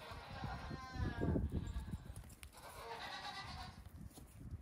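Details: Young goat kids about two weeks old at most, let out on a farm one morning to hop and play before resting in the sun. Two bursts of quavering, mid-pitched bleating are separated by a brief lull, with low thumping and rumbling underneath.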